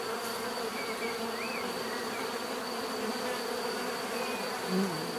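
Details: Many bees humming in a thick, steady drone, small bird chirps rising faintly over the buzz.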